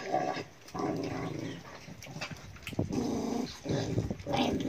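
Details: Pet dog growling in a series of low rough rumbling bursts, with short higher whines and yips breaking through between them.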